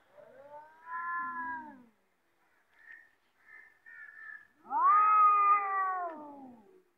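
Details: Fighting cats trade drawn-out howls: a steady harmonic wail near the first second, brief soft mews in between, then a louder bending caterwaul from about five seconds that sags in pitch as it fades.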